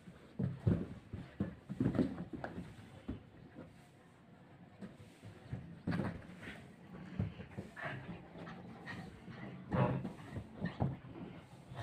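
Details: Husky puppy play fighting in Haryana: irregular low, rough growling grunts and snuffles in uneven bursts, louder around the start and near the end, with short quieter pauses between.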